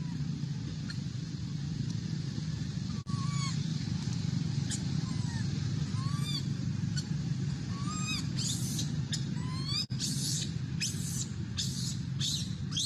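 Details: Little monkey wanting milk cries in thin, rising-then-falling squeaks, spaced irregularly, joined later by a flurry of sharp clicks and rustling bursts, all over a constant low hum.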